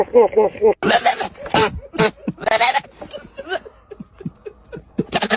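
A goat gives quavering, scream-like bleats in quick bursts, mixed with human laughter and shouting.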